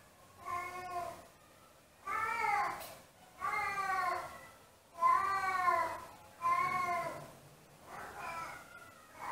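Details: Siamese cats home alone, howling as they miss their absent owner; loud, drawn-out wavering cries with rich harmonics, repeated about every one to two seconds, six calls in a quiet indoor room.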